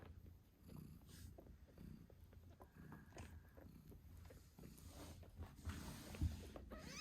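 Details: Pulsing purr from a British Shorthair mother cat caring for her eight-day-old kittens, with soft snuffles and a few sharp rustles toward the end.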